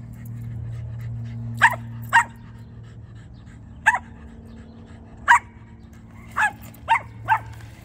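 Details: A Cavalier King Charles Spaniel with a strong chase drive, chasing a car, gives seven sharp, high barks at uneven intervals over a low rumbling hum.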